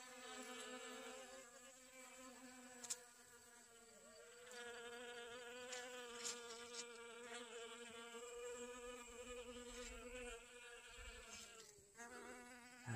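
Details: Several honey bees gathering pollen on garden sunflowers, August 2021; a continuous buzzing hum with strong stacked harmonics that dips and swells as the insects shift between flowers, a brief low rumble near the end.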